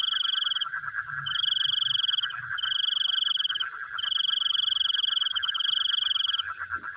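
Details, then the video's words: Night-time frogs produce a continuous rapid pulsing chorus, while a shrill, insect-like ringing trill sounds in long bursts broken by short gaps. "The Sound of Frogs Chewing in the Night"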